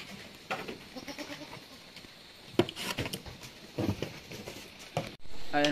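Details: Anglo-Nubian goats kidding at Terra Grande Farms in San Carlos City, Negros Occidental, Philippines, where seven kids were born in one day; scattered knocks and rustling, then a loud, harmonic, wavering bleat at the very end.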